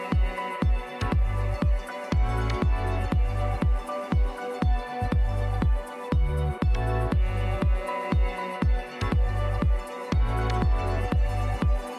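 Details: Electronic dance music with a steady pounding bass beat about twice a second and synth chords; no animal sounds are heard.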